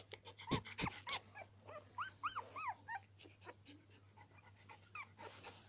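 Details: Norwich Terrier puppies whimpering indoors: a couple of sharp yelps, then a run of short arched high whines rising and falling, each under half a second, with softer squeaks trailing off and a steady low hum behind.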